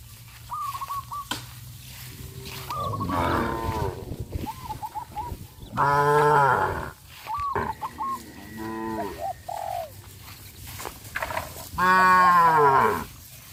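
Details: Cows on a traditional village farm, running and jumping into a green rice field, mooing four times in deep, harmonic bellows of a second or two, between bursts of repeated short high chirping calls.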